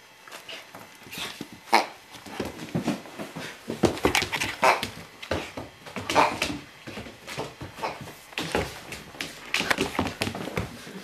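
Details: A standard poodle puppy playing with a soft toy indoors: short whimpers and small yapping barks in irregular bursts, with rustling and scuffling throughout.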